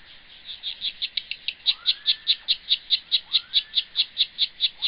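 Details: Himegisu katydid (Eobiana engelhardti) singing, recorded in sync with slow-motion footage: a steady train of buzzy high chirps, about two to three per second, evenly repeated throughout, with a few faint sliding whistles in the background.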